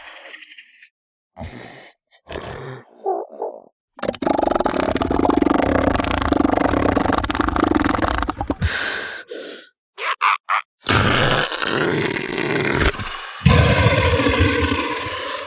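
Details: Close recording of southern elephant seals in the sub-Antarctic: short snorts and gasps, then a long, rough, rumbling bellow of several seconds, more breathy bursts, and another drawn-out guttural roar.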